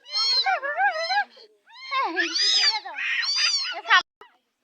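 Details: Hungry kitten from Uluberia crying in a run of insistent, wavering meows, some drawn out and rising then falling, while people talk in Bengali and urge it to settle.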